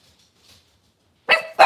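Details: Cavalier King Charles Spaniel indoors on a kitchen camera, cloudy Monday morning: after a near-silent stretch, two short, sharp barks close together at the end.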